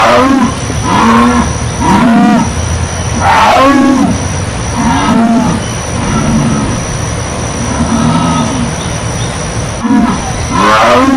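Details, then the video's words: Jaguar giving a rhythmic sawing roar: rasping grunts repeated roughly every second with short breaks between bursts, all over steady hiss and a thin, constant high tone. "SOM Rugido DA ONÇA PINTADA!"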